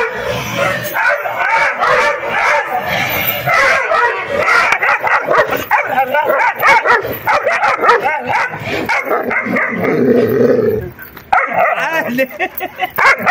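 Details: Several puppies play fighting, giving a busy mix of rough growls, short yips and whining cries that overlap almost without pause, with a brief quieter gap near the end.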